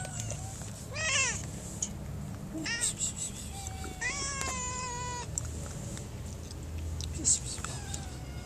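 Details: Hungry mother cat being handed food, meowing in short arched calls followed by a longer level, wavering meow, amid a low rumbling background and faint voices.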